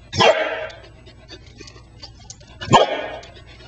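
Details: Welsh Corgi playing with a rubber ball, recorded very close up: two loud, sharp single barks about two and a half seconds apart, with soft rustling and thumping of play between them.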